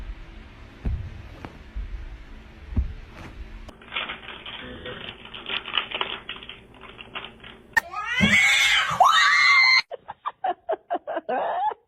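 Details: Domestic cat in a funny pet compilation gives a loud, drawn-out meow that rises and bends in pitch, followed by short clipped sounds, after quieter clicks and scraping, with laughter and people talking nearby.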